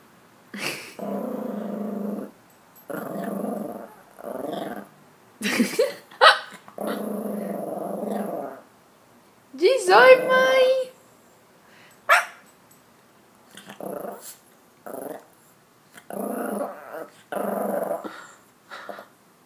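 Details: Maltese puppy indoors "talking" as a message to its travelling owner: drawn-out growly moans in bursts of one to two seconds, with a sharper yelping cry midway and short pauses between phrases.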